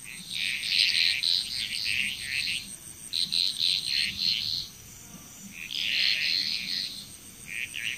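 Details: Bali, Indonesia frog chorus with dense, fast-pulsed rasping croaks in clustered bursts, a brief lull near the middle before calling resumes, backed by a continuous shrill insect drone.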